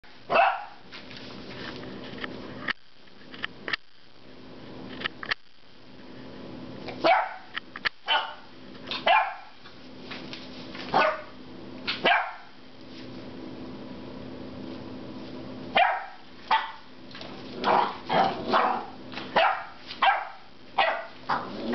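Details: Loki, a 10-week-old puppy who is not usually vocal, barks loudly in frustration at a rubber squeaky pig toy. Short, sharp barks come in irregular bursts, some in quick pairs and triplets, separated by brief pauses.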